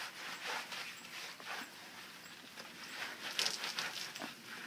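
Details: A Standard Poodle pants while being bathed and scrubbed with a shampoo bar, giving quick, breathy, hissing puffs about two or three times a second, uneven in strength, with soft rubbing and water noises mixed in.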